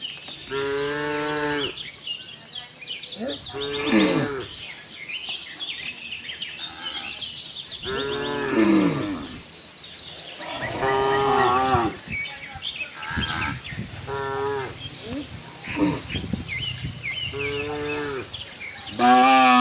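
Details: Tame herd of cows roaming a cattle farm in search of fresh green grass; several drawn-out, harmonic moos recur every few seconds, some rising and falling, with high chirping birds and faint voices behind.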